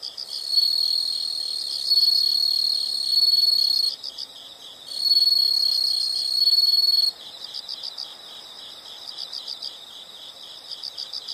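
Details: Chorus of insects outdoors: two long, loud, shrill trills separated by a short pause, followed by quieter bursts of fast, regular chirping.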